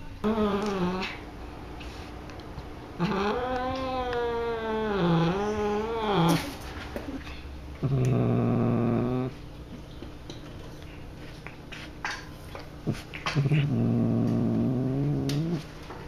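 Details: A pet cat meowing for fun indoors: long drawn-out harmonic meows with wavering, rising and falling pitch, around four separate calls, some low and moaning, with quiet pauses between.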